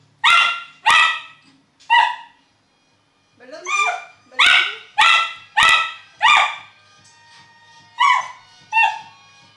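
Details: Elvis the miniature schnauzer barks at a happy birthday balloon he is fighting: loud, bright, harmonic barks in quick runs, with a short pause and a whine between bursts.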